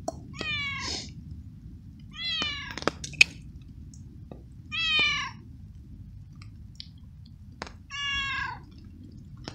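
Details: Soaked stray cat found unsheltered in the rain, following its feeder and meowing repeatedly, maybe from cold: four short falling meows spaced about two to three seconds apart, with faint chewing and clicks over steady background hiss.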